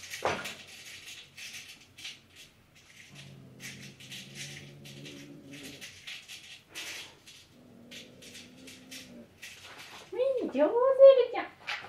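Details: Domestic cats indoors on their fourth day of meeting through a cage: a 5–6-month-old brown tabby resident and a 2-month-old black kitten. Low droning growl-like tones, then a loud wavering meow-like cry near the end, over scattered tapping clicks.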